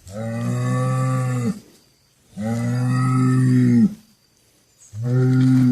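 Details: Cattle mooing: three long, deep, steady moos of about one and a half seconds each, separated by short silences, rich in layered harmonics with a low droning base.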